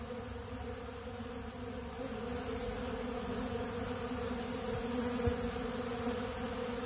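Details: Many honey bees at a big blue pollen feeder eating bee pollen: dense continuous wing hum, low and steady with slight flutter, swelling a little after the first two seconds.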